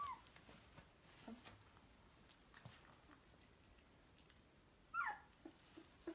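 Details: Fourteen-day-old Dobermann puppies at play with a green toy snake; after quiet rustling, a sharp rising-then-falling squeak near the end, followed by a faint whimper, over low room noise.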